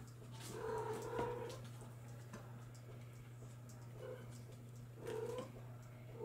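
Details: Bengal kittens born July 2022 let out short wavering meows in three bursts, at the start, mid-way and near the end, with a low steady hum and light shuffling between calls.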